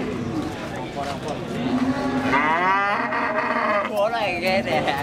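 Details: Limousin feeder cattle with a deformed leg, from Indonesian cattle keepers, gives a drawn-out low moo that swells into a wavering, harmonic-rich bellow, then a shorter second moo near the end, over steady background noise.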